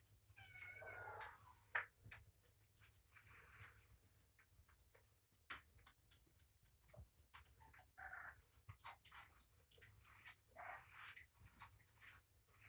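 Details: Kittens in foster care, a litter of three born January 19th, during morning feeding with food and medicine indoors; faint short meows near the start and again around eight and eleven seconds, amid clicks, handling noises and food preparation.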